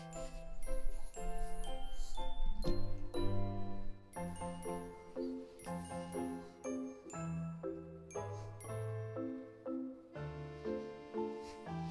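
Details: Tinkling glockenspiel-style background music plays, with no animal sounds present.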